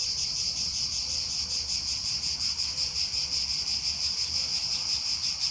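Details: Summer chorus of cicadas at Aghios Kosmas in Helliniko, Athens: an unbroken, shrill electric buzz that pulses rapidly and evenly, with little else audible beyond a low background rumble.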